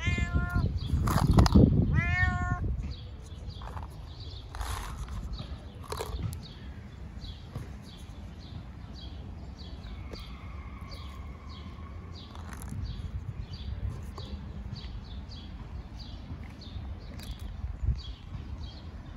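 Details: Fat ginger cat meowing loudly, wanting food: two strong rising-then-falling meows at the start, then quieter background hum, a faint long tone and soft rhythmic ticking.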